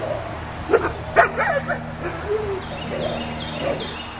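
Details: Akita puppy named Sparticus giving a few short, high yips and whiny yelps in a quick burst early on, then softer drawn-out whimpers, over a steady low hum.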